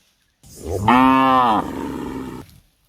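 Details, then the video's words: A tame cow in an Indian shepherd's garden, a woman with it, lets out one full moo of about a second, pitch held steady with a slight dip, trailing into a softer breathy tail. "the sound of a tame cow"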